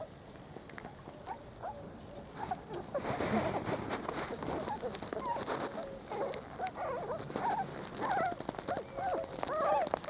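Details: Four-week-old Spanish Water Dog puppies from Trella's 2013 litter on their first day out in the garden, with a working cocker nearby. They give short, high squeaky whimpers, rising and falling in quick irregular bursts, with some voices and outdoor rustling.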